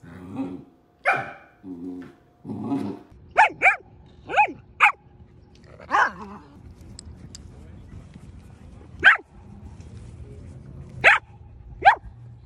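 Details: Female pet Samoyed named Aria talking back with vocal outbursts: a few muffled low grumbles, then sharp short barks in pairs, spaced irregularly, while a woman speaks to her and faint background hum continues.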